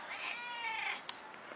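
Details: Ten-year-old stray cat meowing while a grandmother talks with it; a drawn-out, wavering meow lasting nearly a second, then a short click and quiet room sound.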